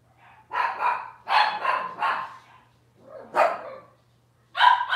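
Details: Cavalier King Charles Spaniel puppies from Robin's litter, filmed indoors on a kitchen livestream camera, giving high yappy barks in quick clustered bursts, with pauses between groups, over a steady low electrical hum.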